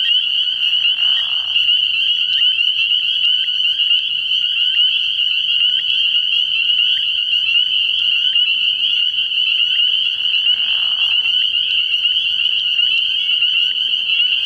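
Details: Many spring peepers call together from a frog pond at night early in the year, a steady high-pitched peeping chorus. Two short, lower, rasping bursts break in near the start and again around the tenth second.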